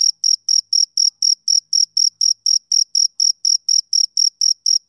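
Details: High, tinny chirping from a male cricket on a summer evening: short pulses repeated quickly and evenly, around four a second, with no competing noise.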